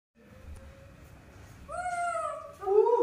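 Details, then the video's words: Baby monkey, a rescued infant being raised for release, throwing a tantrum because she wants to drink milk: after a quiet start, loud whining cries from about 1.7 seconds, first rising then gently falling, the last one harsh and wavering, indoors. "baby monkey Nomi's tantrums are getting worse when she wants to drink milk"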